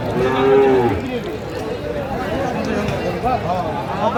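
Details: Sahiwal bull calf at a cattle market on 24 December 2024, where a farmer from Sylhet is buying calves. One short, steady, level moo lasts under a second at the start, then crowd chatter and men talking continue.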